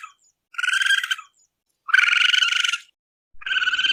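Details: Raccoon giving buzzy, pulsed trills, each burst close to a second long with a rough, vibrating tone, three bursts separated by short silences against a clean, quiet background.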